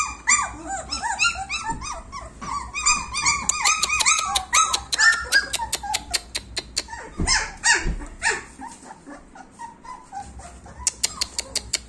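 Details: Overlapping arched whines from a group of 26-day-old German Shepherd puppies open the recording, then fade into softer whimpers under a long series of quick, sharp clicking taps.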